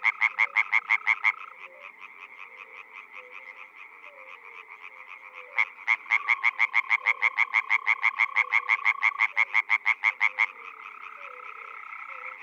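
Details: European frog chorus in spring, Czech Republic: a short, loud volley of quick croaks, a pause filled by a buzzing background chorus, then a long fast run of sharp croaks before the distant chorus takes over again.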